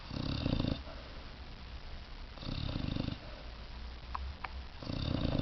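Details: Loud snores from a sleeping male puppy named Piper. Three rough, rumbling breaths come about every two and a half seconds, with quieter pauses and a couple of faint clicks between them.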